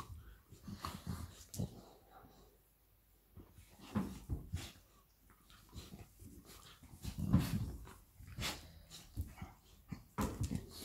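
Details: Indoor play between Labrador Retriever Lilly and her puppy Molly. Low growling rumbles and short whimpers rise in irregular bursts, mixed with thumps and scrabbling noises, with a quiet stretch near the start.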